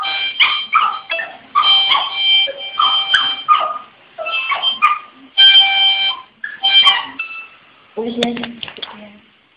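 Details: A Shih Tzu singing with a harmonica, giving drawn-out wavering howls between sustained reedy harmonica tones, then a lower whimpering sound near the end.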